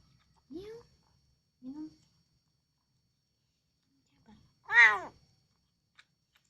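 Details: A hungry domestic cat being given food meows; its voice is said to resemble the word Alhamdulillah. Two short, soft rising calls come first, then after a pause one louder, rich harmonic meow.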